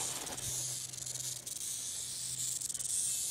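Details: Striking rattlesnake giving an unbroken high, sizzling rattle that stays even in tone from start to finish, with a few quick flutters in loudness; a faint low hum lies beneath.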